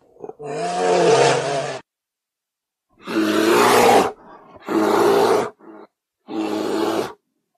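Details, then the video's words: Bear roaring, a sound called qahqa'a in Arabic: four loud, rough, harsh roars of one to two seconds each, with a brief low grunt between them, separated by total silence. "صوت الدب 'قهقاع'"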